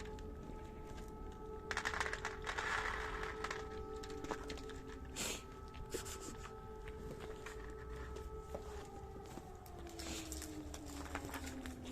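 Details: An air-raid siren holds steady tones that slowly slide downward, over quiet background music and scattered clicks, with no animal calls.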